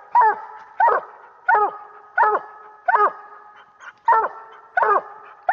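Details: Year-old coonhound pup from BuckWheat Reba and Duke, barking at a raccoon it has treed while coon hunting. Loud, ringing barks with a harmonic bawl, repeated roughly every 0.7 seconds, about eight in a row.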